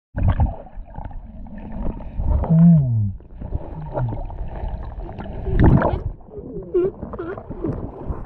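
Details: Angry Galapagos sea lion underwater at La Loberia beach, chasing a snorkeler out of the water: deep growling roars, gurgling bubbles and bending moaning sweeps, loud and close, with splashing water throughout.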